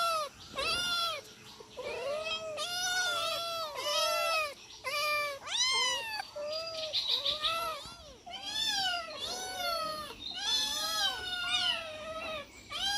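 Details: Domestic cats, four of them, clamouring while being fed: a long series of loud, evenly arched meows, often two cats overlapping, calls coming about every second with brief pauses.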